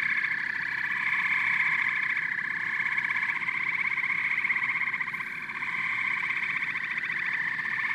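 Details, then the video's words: Chorus of frogs and toads: continuous overlapping pulsed trills, a bright mid-pitched band over a lower one, swelling slightly and dipping briefly near the middle before resuming at full strength. "Frogs and Toads Symphony"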